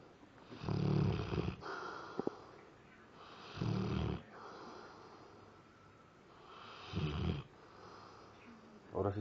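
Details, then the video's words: Labrador Retriever asleep and snoring, apparently having nightmares: deep, rough snores repeating about every three seconds, with a quiet hiss between them and a man speaking softly. "LABRADOR RETRIEVER roncando/snore"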